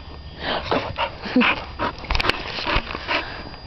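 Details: Titan, a dog registered as West Wind's Whose Your Daddy, playing in the dog yard, gives a quick run of short, rough yips with a brief high whine midway, plus scuffling and a couple of sharp clicks.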